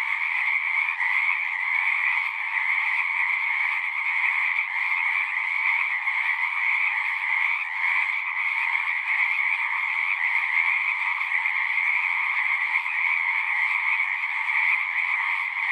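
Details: Numerous frogs singing at a pond in a horse pasture, recorded on a Zoom 6; long steady chorus of shrill overlapping trills, unbroken for the whole stretch, with slight pulsing in intensity.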